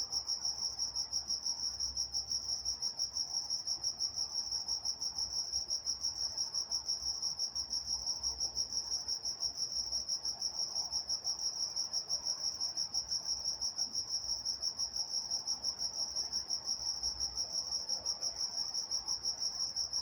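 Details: Night-time crickets in Walnut, California: a steady, high, pulsing chirp held on one pitch, repeating rapidly and evenly through the whole stretch, with a fainter higher band above it and a soft low rumble underneath.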